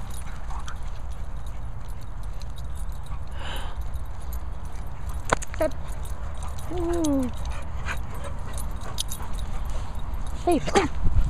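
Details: Pheobe, a dog, playing wildly with other male dogs, gives a few short whining yelps that slide downward in pitch, one burst midway and another near the end, over a steady rumble of wind.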